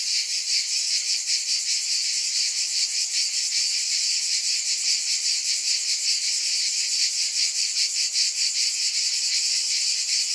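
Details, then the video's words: Cicadas produce a sustained, piercing buzz, thick and high with a regular throbbing pulse, steady in volume and free of other sounds. "Scintillating Cicadas 1 hour White Noise"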